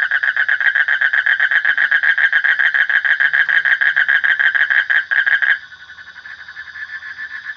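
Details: Rapid repeated croaking of a frog, loud grating pulses at a fast even rhythm for over five seconds, then the calling drops to a softer, more muffled stream as a high steady tone continues.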